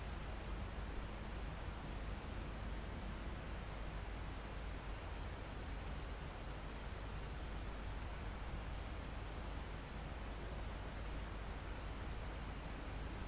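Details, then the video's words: Crickets in a calm forest almost at the top of a mountain, recorded live: high buzzy trills about a second long repeat roughly every second and a half over a steady high hiss, with wind rumbling through foliage and trees. "Calm Forest in Mountain With Crickets, Insects Sound"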